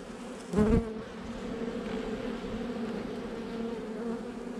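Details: Honey bee hum during a hive inspection on 8 July 2020, a nuc installed just over a month before; a single louder bee passes close early, then a steady layered droning hum of the colony continues.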